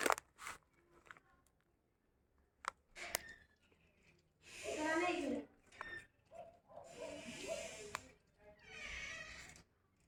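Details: Hungry baby kitten indoors, giving drawn-out meows with harmonic bands at about 5, 7 and 9 seconds, each lasting roughly a second, after scattered clicks; a child's voice is heard nearby in the small room.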